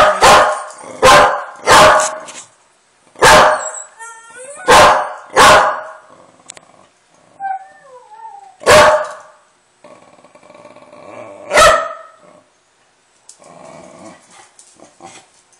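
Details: Domestic dog barking angrily in reaction to friendly dog noises being played; loud harsh barks in quick bursts of two or three, about nine in all, with faint squeaky whines and tonal played sounds between.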